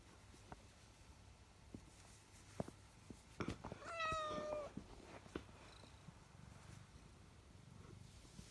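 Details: A cat gives one clear, slightly falling meow lasting under a second midway through, surrounded by scattered tapping and clicking noises in a quiet indoor setting.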